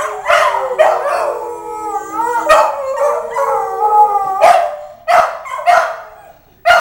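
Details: Pair of Petit Basset Griffon Vendéens singing together: sustained, quavering howls weave and dip in pitch, then break into several short, sharp barks toward the end.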